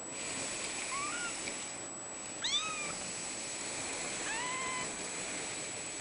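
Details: Male Ragdoll kitten, blue point mitted, at a cattery on 02/28/14: three soft, drawn-out mews, each gently rising then dipping, separated by pauses of over a second, with a faint constant high tone behind.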